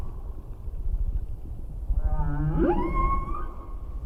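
Humpback whale song: a low moan that sweeps sharply upward into a high, wavering tonal cry.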